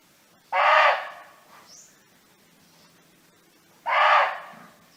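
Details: Barking deer roaming free in nature, calling to its companions: two short, loud, hoarse barks about three seconds apart over a quiet background.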